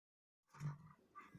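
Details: A Rottweiler playing with its owner gives a deep, rough growl that swells quickly and then rumbles on in short bursts.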